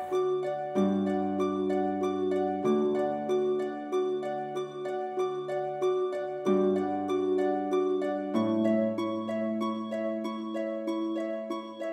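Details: Gentle plucked harp music with a steady repeating pattern plays throughout, with no animal sounds heard.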